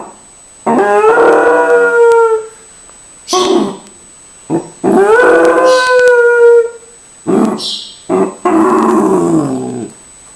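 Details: Several dogs howling loudly, long harmonic wails that rise then level off and fall, each lasting one to two seconds, with brief yelps and whimpers between the howls and short gaps of silence.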